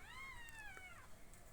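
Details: A single drawn-out kitten meow, thin and high, held steady then bending downward at the end, over a low background hum indoors.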